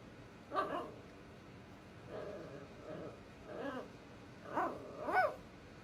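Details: Five-month-old female Scottish Terrier-Chihuahua mix puppy barking and growling indoors to get her two-year-old sister to play. Five short, rough yaps and growly bursts come at irregular intervals over six seconds, quiet against a soft background hiss.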